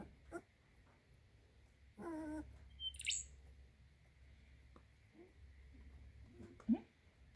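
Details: Baby Maremma Sheepdog puppies snoozing give a brief, wavering whine and a few faint squeaks in a quiet room.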